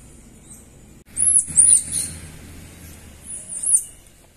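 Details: A group of Central American squirrel monkeys near Manuel Antonio National Park, Costa Rica, giving very high, thin, arched whistled peeps: a quick run of three notes early, then two more near the end, over a soft low rumble.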